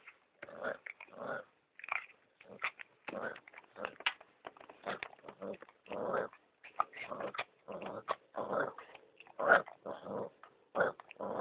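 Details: Pomeranian dogs mating, giving short rough growling and grunting bursts in an irregular run, roughly forty-seven per minute, with brief quiet gaps between.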